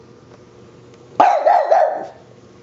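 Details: French Bulldog barking at a handheld dust buster: a single drawn-out, wavering bark almost a second long, rough and growly, against a steady low hum of the machine.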